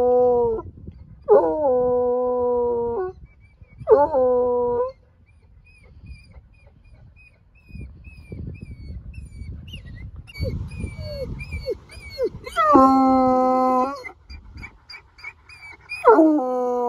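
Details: Bluetick Coonhound, a male hound on a mountain hike, howling in victory after reaching the summit: long harmonic bays with falling starts, several separate howls with pauses between, faint higher yips and a person's voice nearby.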